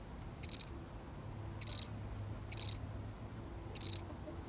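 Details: Four crisp, shrill, pulsed chirps from one lonely cricket, repeated about once a second in a steady rhythm, with only faint low background hum in a real recording.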